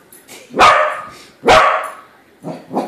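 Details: A corgi confronting a balloon corgi gives two loud, abrupt barks about a second apart, then two shorter, softer barks close together.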